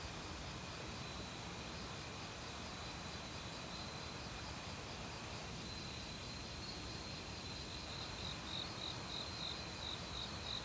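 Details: Crickets of an autumn forest, among a mixed insect chorus, keep up a ringing high buzz, with a clear pulsed trill building toward the end, while a valley stream pours steadily in the background.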